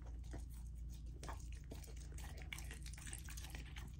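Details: Female Golden Retriever puppy named Lilo chewing a raw chicken and sockeye salmon dinner indoors, with busy uneven biting and crunching, some slurping clicks, about two chews a second, and a low background drone.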